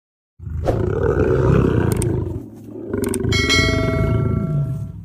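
A lioness gives deep, rumbling roars, with a bright musical tone entering partway through.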